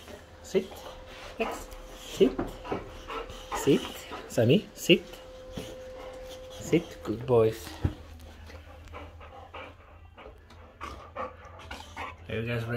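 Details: Excited Boxers collected from dog daycare, heavy rapid panting mixed with brief whines and squeaky whimpers in a small indoor room, a person talking to them as they get ready to go home.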